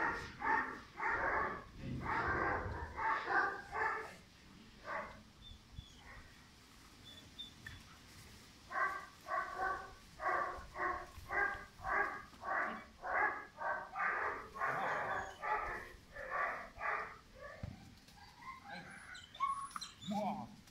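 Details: Pirat, a five-month-old German Shepherd puppy with strong nerves and high drive, bred for sport or police work, gives runs of sharp, rapid barks, a dense cluster early, a pause, then a steady string of evenly spaced barks before quieter sounds.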